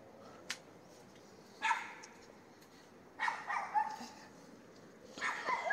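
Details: Neighbour's dog heard at night, 22:30 on 18 May 2021, street in Castelldefels; three fainter bark bursts, the middle one a rapid run of several barks, with a quiet stretch between.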